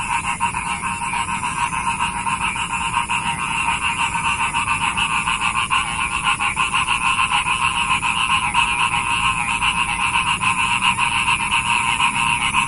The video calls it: SUBHANALLAH!! SUARA KODOK INI BIKIN MERINDING ~ RELAKSASI